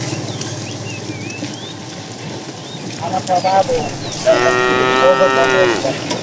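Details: Calves among a cow herd herded out in the morning to find food: a short higher wavering bleat-like call, then a longer tonal moo of about a second and a half, over chirping birds.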